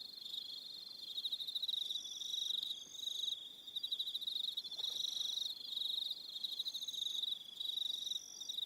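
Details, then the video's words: Evening crickets on Aroha Island, New Zealand, produce a continuous piercing trill that swells and fades in pulses roughly every few seconds, with higher chirps on top and a quiet background. "Relaxing Evening Sound of Crickets"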